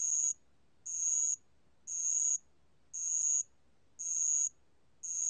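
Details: Spotted bell cricket (알락방울벌레), archived in 2020 by a national biological resources institute, sings shrill, high buzzy bursts about half a second long, one per second, five in a row, with silence between them.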